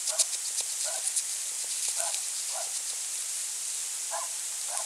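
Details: A European hedgehog foraging for small slugs on an autumn night, 23 November 2020, by a small pond and bird feeder in the central French countryside, gives soft, low snuffling grunts in short irregular bursts against a hissy background.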